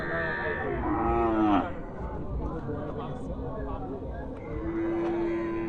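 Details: Small cows at a cattle market: a short moo that slides down at the end, then a second, steadier moo near the close. Market chatter and background noise run throughout.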